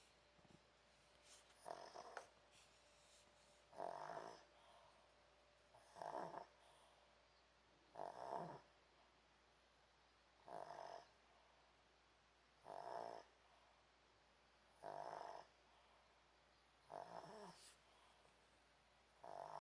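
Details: Pomeranian named An sleeping indoors on a hot dog cushion, snoring softly: short breathy snores repeating roughly every two seconds, nine in all, steady and even in a quiet room.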